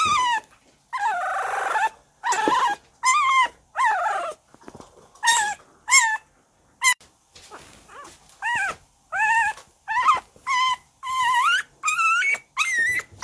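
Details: Young pet Shiba Inu puppy in a home setting; a long run of high-pitched whining yelps, each sliding up then down, repeated roughly every half second with brief gaps, plus a soft rustle near the start.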